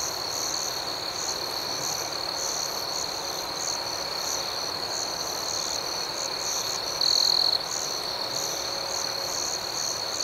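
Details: Crickets at night in an outdoor setting, a steady high-pitched continuous trill overlaid with rapid pulsed chirps, about four per second, and a brief louder shrill burst near the seventh second; no other sounds.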